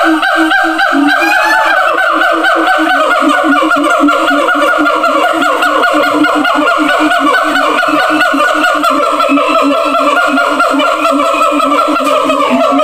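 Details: Captive siamang at a zoo, calling to others in distant separate enclosures. Continuous overlapping honking barks form a dense, unbroken chorus, with a few rising hoots riding over the steady pulse.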